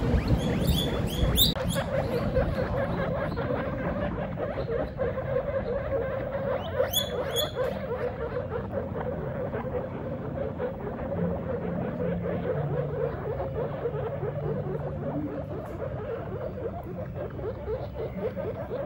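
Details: Pet guinea pig father meeting his babies for the first time; loud, high squeaks rich in overtones burst out in short runs near the start and again around seven seconds, over a constant low rumbling background noise.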